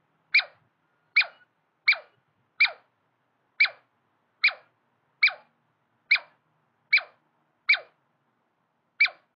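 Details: Male and female Douglas squirrels dispute territory. Eleven crisp, falling chirps ring out at a steady pace of under a second apart, against near silence.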